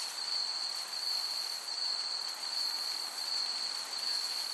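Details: Summer meadow crickets. A steady, piercing, unbroken trill holds one high pitch throughout, with fainter sizzling chirps above it and a soft breeze hissing beneath.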